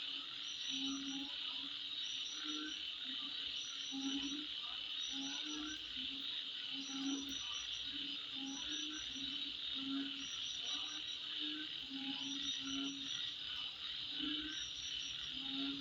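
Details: At midnight, a dense high insect drone runs throughout, with short bursts of higher chirps in groups and low croaks repeated every second or so.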